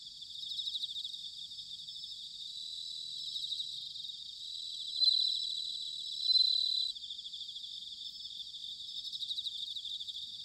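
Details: Bell crickets in autumn at Sanuki, Chiba Prefecture, Japan: a rapid high trilling chorus throughout, broken by two louder, pure ringing notes near the middle, each lasting about a second.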